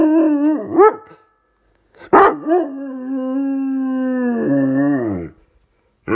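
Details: Miller the dog howls dramatically after dropping his toy: short wavering whines, then a long steady howl that bends downward and cuts off, followed by a brief yelp at the end.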